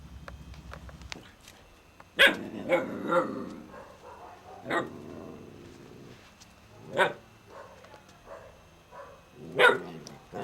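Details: Kane, an Alaskan Malamute puppy, gives short, sharp harmonic barks and yips in scattered bursts, about six across ten seconds, separated by quiet gaps; a low steady hum sounds at the very start.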